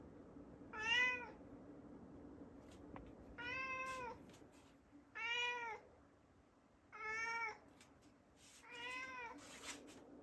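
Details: A house cat pleading at a shut door to be let upstairs, giving five drawn-out, arched meows spaced about two seconds apart, with faint rustling and a low steady indoor hum between calls.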